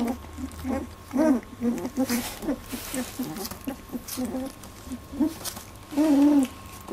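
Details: Eighteen-day-old Labradoodle puppies in their first milk fight give squeaky, harmonic whines and short yelps, with the loudest ones near the start and a long rising squeal at the end. Soft rustling runs between the calls.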